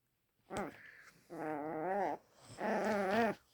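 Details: Luna, a pet dog, vocalising at Daisy for the first time: a short sharp yelp followed by two long, wavering, moaning barks, each close to a second, rich in harmonics and rising slightly before falling away.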